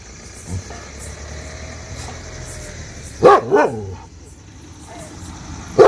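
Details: Shiro, an adopted street dog, barks at unknown people: a quiet stretch, then a pair of sharp, loud barks about three seconds in and one more single bark at the very end, over a low steady background hum.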